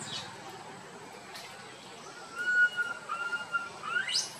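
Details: Little monkey roaming with its troop: quiet at first, then two long clear tonal wails, the second dipping slightly before a final upward-sweeping squeal.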